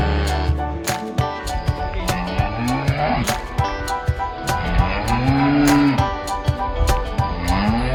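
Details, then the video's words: Cows at an animal market calling their friends: one loud, drawn-out moo in mid-clip, with fainter lowing around it, set against constant clattering, knocking and busy market noise. "the sound of cows at the animal market calling their friends"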